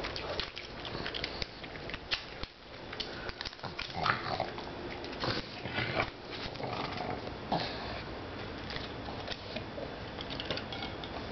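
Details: Female pug Nibbles, nicknamed Bennie, eating kibble one piece at a time in a small room; rapid sniffs and crunchy chewing clicks with short nasal snorts scattered throughout.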